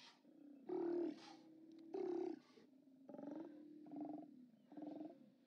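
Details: Haulout of Steller sea lions on 29 October 2017, recorded by a live camera: a rapid sequence of five harsh, pulsed roars, the first two loudest, each about half a second, over a constant low background growl.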